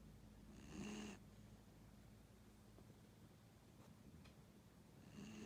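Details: A 15-year-old dog snoring softly, one rough rasping snore near the start and another beginning at the end, separated by quiet low background hum.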